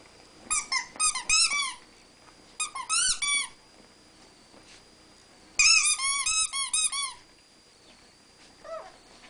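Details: Two Rat Terriers play fighting in a household: clustered bursts of shrill, rapidly repeated squeaky yips, about four per second, separated by short pauses, with one softer squeal near the end.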